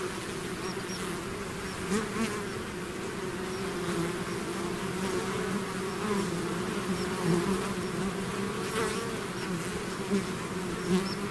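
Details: A swarm of bees leaving its hive makes a thick, even buzzing drone, several bright humming tones layered together, with faint swells as individual bees pass closer.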